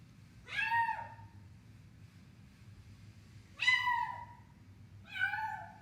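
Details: While eating, a cat gives three clear, fairly loud meows, each arching up and then dropping, separated by pauses of roughly two to three seconds. Faint low background hum throughout.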